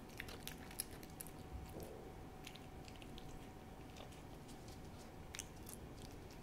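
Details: Treat time for Hodu the cat, lapping Ciao Churu paste: soft, rapid wet clicks and smacks cluster early, thin out, then return in scattered taps over a low room hum.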